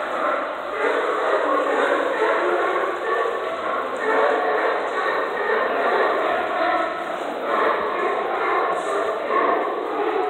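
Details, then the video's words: Many sea lions under the docks at Astoria bark and honk together in a dense, overlapping chorus, one seeming to call back at the recordist. "Singing sea lions under docks of Astoria"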